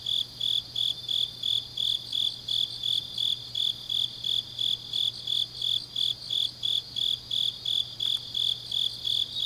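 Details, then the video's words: Autumn grass insects singing deep at night in Changnyeong, Gyeongnam, Korea; rhythmic shrill pulses repeat roughly three per second, layered over a softer continuous high buzz and a faint low hum. "깊은밤 가을 풀벌레 소리"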